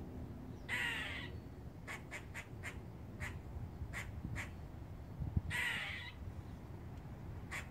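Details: A squirrel on a house roof gives its warning call, a string of short, dry chucking notes broken by two longer, rough, nasal cries, over a low background rumble.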